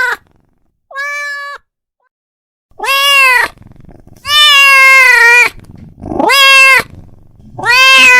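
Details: Calling his friend, a domestic cat lets out one short, cleaner meow followed by longer, loud, rich-toned meows, one stretched past a second, with brief pauses between.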